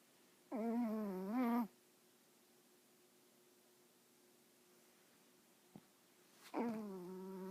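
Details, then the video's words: Female teacup Yorkshire Terrier snoring while asleep indoors: two drawn-out, nasal, tonal snores, each about a second long with a wavering pitch, spaced about five seconds apart in a quiet room with a faint click between them. "Weird dog snoring"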